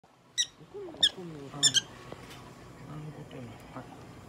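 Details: Pet prairie dog Popo-chan at a veterinary clinic in Nagoya during examination and treatment, giving sharp high squeaks, three quick bursts in the first two seconds, with a person talking beneath.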